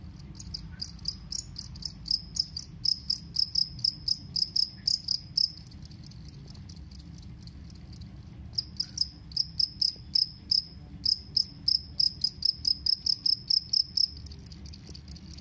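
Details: Two-spotted cricket calling loudly: bright, high, pulsed chirps in quick runs, with a short pause near the middle before the chirping resumes steadily, over a low background hum.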